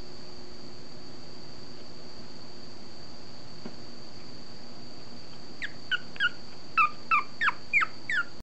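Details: A 30-day-old female long-coat Chihuahua puppy, chocolate-tan and white, in Fukuoka on 21 September, gives a quick series of high, thin squeaks after several quiet seconds.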